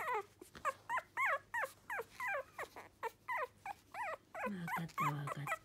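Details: Lively male Toy Poodle puppy; series of high, wavering whimpering yelps about once a second, each bending up and down in pitch, ending with a longer, lower whining cry.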